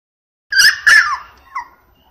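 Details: Female apricot Toy Poodle puppy, 58 days old, born 21 February 2016, recorded 19 April in Osaka, Japan: two sharp, high yips in quick succession, the second sliding downward into a whine, then one brief squeak, in a quiet room.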